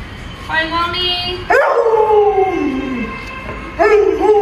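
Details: Pet Alaskan Malamute Luoluo howling at its masked owner: a short steady tonal note, then a long mournful howl that slides gradually downward over about a second and a half, followed by a fresh rising howl at the end.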